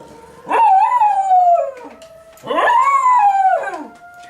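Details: Schnauzer named Roscoe howling along with a monthly tornado warning siren test: two drawn-out wavering howls, each rising sharply then sliding down over about a second, with a steady siren tone underneath.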